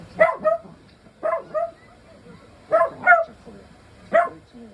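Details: Timid male Miniature Dachshund, born June 2021, making a fuss indoors during room construction work; sharp, bright barks mostly in quick pairs, about seven in all, with quiet pauses between and faint voices nearby.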